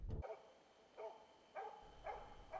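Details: Experienced older Finnish Spitz baying at a moose during an autumn 2009 hunt in Finnish forest, sounding distant: sharp single barks repeated about every half second, after a short low thump at the start.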